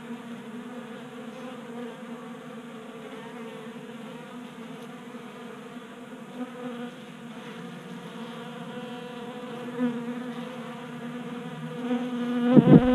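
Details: Honey bees feeding at a 3D-printed feeder on a Colorado workbench in mild January weather. An even, low-pitched hum holds steady, then grows louder and rougher at the end as a bee buzzes close by.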